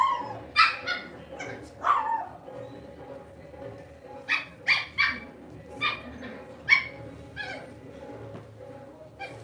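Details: Lhasa Apso, a pet dog kept at home, giving short, sharp barks, about eight of them spread irregularly over ten seconds, with a faint steady hum underneath.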